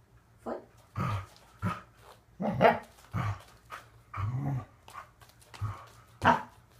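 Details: Corgi dog indoors during a training session doing conditioning exercises, short barks and low growly vocal bursts repeated irregularly, some mixed with the trainer's voice giving commands.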